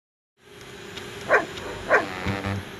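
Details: German Shepherd named Scooby on a beach at Myrtle Beach, South Carolina, in winter, chasing a DJI Spark drone; two loud barks about half a second apart over steady engine-like hum, with a low thud near the end.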